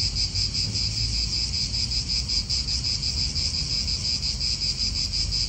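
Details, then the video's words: In a park in Italy, cicadas keep up a continuous piercing drone that pulses rapidly without pause, with gusty low wind noise underneath. "Cicadas wind real atmosphere in an Italian park"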